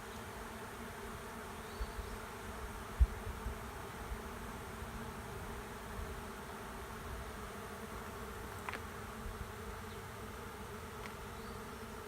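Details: Honey bee swarm moving into an empty hive at the end of a driveway; a steady, dense, low droning hum with layered tones holds throughout, broken by a few faint clicks and taps.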